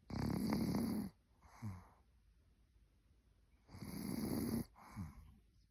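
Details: Cookie, a senior Maltese, sleeps and snores: a harsh, buzzing snore lasting about a second, then a short nasal whistle-like breath, with the pair repeating roughly every three and a half seconds in a quiet room.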